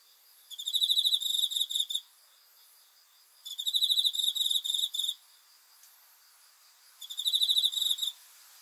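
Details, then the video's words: Cricket chirping at night in three even bursts of fast, high, pulsing trills, each about one and a half seconds long and spaced about three seconds apart. "귀뚜라미 소리"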